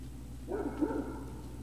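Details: A single short, muffled woof from Great Dane puppies at Puppy Hill, 03-05-2019, early evening. The bark lasts about half a second against a constant low electrical hum.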